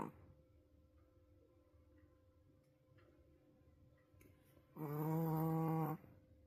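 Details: Wolf sable Pomeranian Roku, asleep and seemingly exhausted, lets out a loud record snore indoors: after several quiet seconds of faint hum, one strong rasping, harmonic snore lasting about a second.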